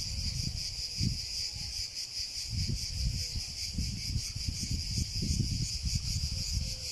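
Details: Cicada song: an unbroken high, shrill buzz with a quick wavering pulse, accompanied by recurring low rumbling bursts of noise across the recording.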